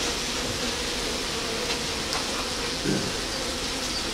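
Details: Honey bees fanning their wings on the hive's landing board, spreading an attractive scent from the Nasanov glands in their abdomens; a steady, dense droning hum fills the whole stretch with one brief louder swell near the end.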